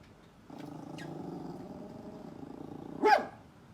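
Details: Poodle; a low, steady harmonic rumble like a growl holds for about two and a half seconds, then one sharp, loud bark breaks out near the end.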